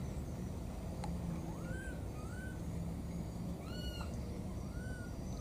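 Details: Pair of wild baby monkeys calling for their mother, giving short arched whistled cries at irregular intervals, some doubled, over a constant low hum and background noise.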